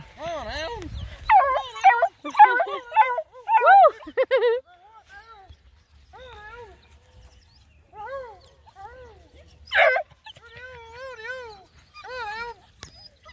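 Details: Out on a pond-side hike, a pack of nine Black and Tan Coonhound puppies cry in a dense chorus of overlapping wavering yelps, then fewer, drawn-out warbling howls with gaps between, and one loud harsh burst near the end.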